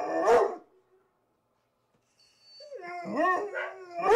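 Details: Morning rough play between Rhodesian Ridgebacks Zahara and Weya: one sharp bark, a pause of silence, then wavering whining growls rising and falling before another bark.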